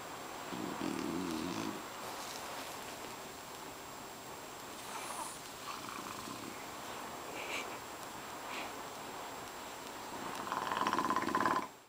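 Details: Boss, a pet French Bulldog dozing in a kotatsu, snores loudly with puffs of breath escaping from loose jowls. A rough pulsed snore opens, long near-silence with soft rustles follows, and a louder gurgling snore comes near the end.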